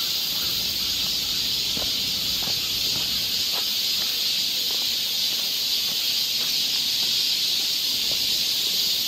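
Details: Summer cicada chorus on a Seoul forest trail in Korea, a continuous high-pitched sizzling drone that never pauses or changes in strength, with scattered faint clicks and leaf rustle in the background.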